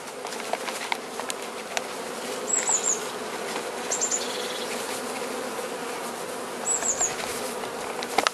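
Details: Hive of Carniolan honey bees opened for Mountain Camp feeding in southern Finland on 16 March 2017 at +3 C, queen among them; even droning hum throughout, light crackles, and three short high twittering bird calls.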